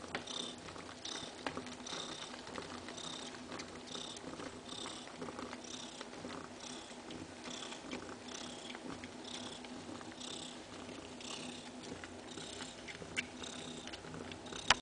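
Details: Kaewe, a mother cat, feeding her seven little kittens: a steady, rhythmic purr with hissy pulses roughly every half second, with faint wet suckling clicks underneath throughout.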